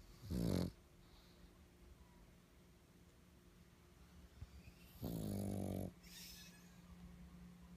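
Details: A stressed black pug gives two short, harsh, snorting screams about four seconds apart.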